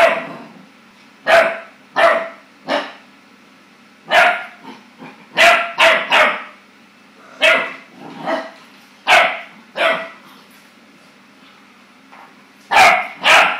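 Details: Young Clumber Spaniel frightened by his reflection, giving a long run of sharp puppy barks, singly and in quick pairs or triplets, irregularly spaced over the stretch, a low background hum constant throughout.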